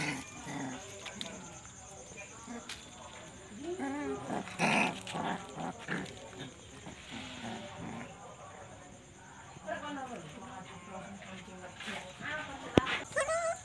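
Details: Puppies quarrelling and playing at night, a tangle of gruff growls, wavering whines and sharp yelps from several young dogs, bursts coming in quick irregular runs, one loud click near the end, constant high hiss behind.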